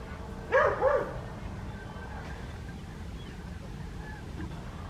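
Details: On a winter morning in the fields of Hoat Wala village, South Punjab, Pakistan, the West Highland White Terrier Adriano gives two or three clipped barks early on, followed by low background rumble and faint distant sounds.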